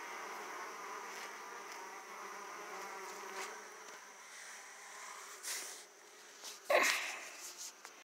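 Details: Hum of Italian honey bees at an open hive as foragers fly back carrying large amounts of pollen; continuous droning buzz, swelling as individual bees pass close, broken by a loud knock or click near the end.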